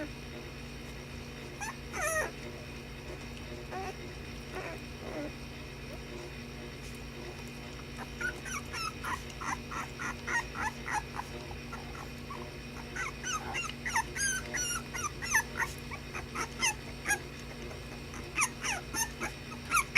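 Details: Puppies at play give short, high yips and thin whimpers in quick clusters, sparse at first and growing busier and denser through the second half, over a steady low hum.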